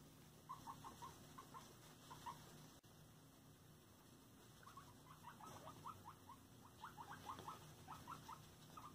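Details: Pet guinea pigs during floor time, giving short high squeaky chirps in quick clusters, repeated bursts through the recording over a steady background hum.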